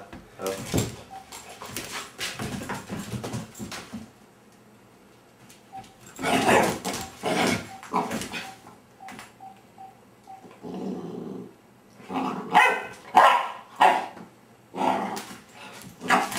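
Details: Labrador puppy indoors barking at, playing with and curious about a vibrating cellphone; short yappy barks and whimpers come in clustered bursts separated by quiet pauses, while people talk and urge it on in a small room.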